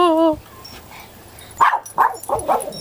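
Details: Female Pomeranian that hates the mailman, going ballistic indoors as he delivers the mail: a brief whining tone, then four quick, sharp barks in a row, with a person talking softly nearby.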